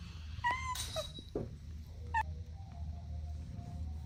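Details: Kittens at play with their mother and two siblings: two brief, high mews about two seconds apart, with a soft scuffle between them over a constant low hum.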